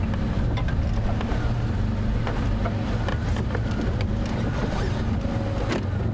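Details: Steady low engine rumble of a safari vehicle on a sunset drive, with faint clicks and rattles and no animal calls.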